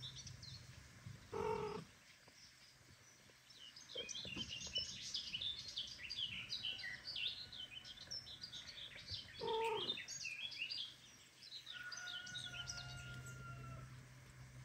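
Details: Male house cat returning home after leaving the female, Kira, alone, asking her forgiveness: two short, harmonic meows about eight seconds apart, with steady twittering birds and a low hum throughout.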